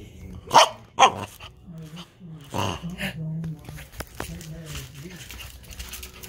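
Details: An 11-week-old Pembroke Welsh Corgi puppy playing under furniture gives two sharp, loud barks about half a second apart near the start, followed by a soft human voice talking and faint rustling.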